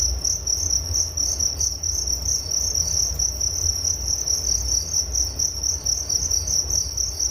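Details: Steady chorus of crickets, meant as a soothing sleep sound, with a shrill, even pulsed trill at one high pitch that never pauses, above a faint low hum.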